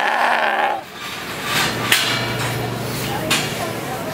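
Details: Goat bleating: a nasal, harmonic bleat fills the first second, then quieter, rougher sounds continue over a low steady hum, with two sharp knocks near the second and third seconds.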